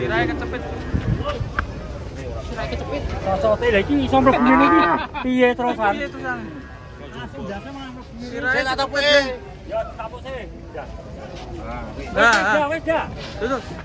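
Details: Cattle coming down off a truck, described as agitated and unruly; loud, drawn-out moos with strong stacked harmonics near 4–5, 8–9 and 12 seconds, mixed with people talking throughout.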